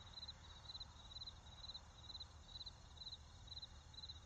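Crickets chirp in steady high, ringing bursts about twice a second over a low traffic rumble.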